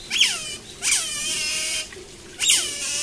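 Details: Asian small-clawed otter at Nagasaki Bio Park, 12 July 2015, giving three high, piercing squeaks, each sweeping sharply downward, spaced under a second apart, over a steady high hiss.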